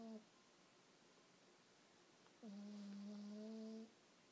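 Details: Soundly sleeping cat Hazel, undisturbed by the blanket being lifted off her face, gives one long, low, droning snore after the tail of an earlier one; a faint steady hum runs throughout.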